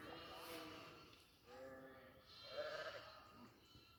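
A goat gives a series of bleats, each a nasal, harmonic cry with a shaky vibrato. The calls come in close succession, roughly one every second, with the last rising slightly higher than the others.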